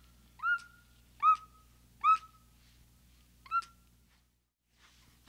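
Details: Four clear, upswept whistle-like calls from a capuchin monkey, spaced under a second apart, followed by a quiet stretch and a sudden sharp sound at the very end.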